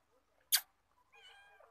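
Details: Kitten with a sharp click, then a thin, wavering meow that trails off.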